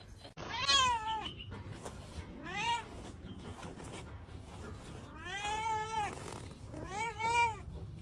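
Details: A kitty playing and meowing: four clear, harmonic meows, each rising then falling, spaced irregularly, the last two longer and wavering, over a faint low background rumble.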